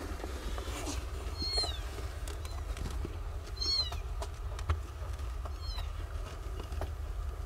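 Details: Nine newborn kittens, born to a stray mother and living in cat houses in a safe zone, learn to suckle. Three thin, high kitten mews with arching harmonics come about two seconds apart over a steady low rumble and scattered clicks.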